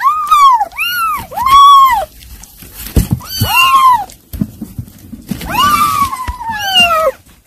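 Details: Kittens being given weaning food cry out in clear curved meows, one long falling wail near the end, with soft background noise and a few knocks.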